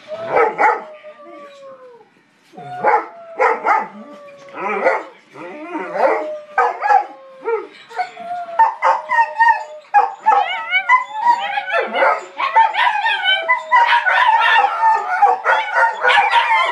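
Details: Four dogs howling together as a quartet: long wavering tonal howls, several voices overlapping and sliding up and down, broken by short yelps and barks, growing denser toward the end.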